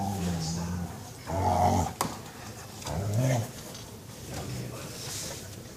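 A Beagle lets out low, drawn-out groans of contentment while being massaged.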